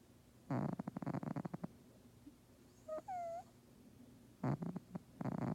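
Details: Sleeping pet cat snoring loudly in rough pulsed bursts, with a short squeaky tonal sound in the middle pause before the snoring resumes.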